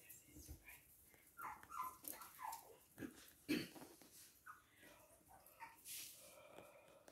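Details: Toy and miniature poodles in Hahnstätten, Germany, on 19 February 2022: a string of short, tonal, whining yelps that rise and fall, mixed with scuffling, soft thumps and a few spoken words nearby.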